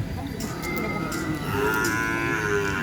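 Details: Heavyweight cattle gathered for a joint training session at a field; a drawn-out, nasal moo swells in the second half amid crowd chatter and general outdoor noise.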